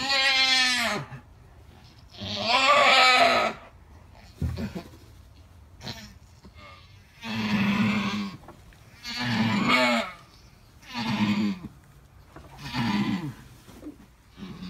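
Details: Alpine goat in labour with triplet kids calls again and again: a long series of loud, wavering bleats roughly every one to two seconds, some hoarse and breaking, with brief rustling between.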